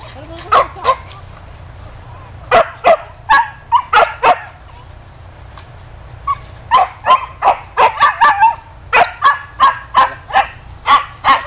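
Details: Hunting dogs released to chase wild boar through scrub in Indonesia, giving loud yelping barks in an irregular run: a few at first, then a dense burst of rapid barks, with a brief voice early on.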